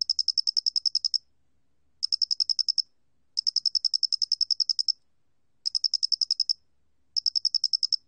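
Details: High, rapidly pulsed chirping of a square-headed cricket, 2020 National Institute of Biological Resources recording: five pulse trains of varying length follow one another with short pauses and no competing noise.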